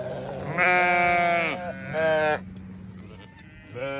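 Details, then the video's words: Newborn lambs bleating: two drawn-out, wavering harmonic bleats about a second and half a second long, a third bleat beginning at the end, over a steady low hum. "Newborn baby sheep so beautiful"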